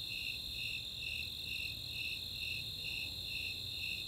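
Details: Summer night chorus of Snowy Tree Crickets and Four-spotted Tree Crickets in open space at Chautauqua, Boulder, Colorado: steady high pulsed chirps about twice a second over a continuous higher trill, faint low rumble beneath.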